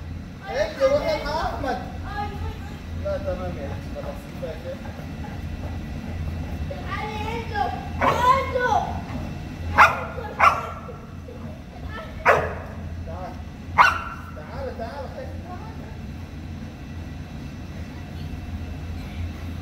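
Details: Boerboel, a South African Mastiff living in Egypt, one of the pair Enzo and Diva: four loud, short, deep barks spaced one to two seconds apart in the second half, following stretches of human talking and a low steady hum.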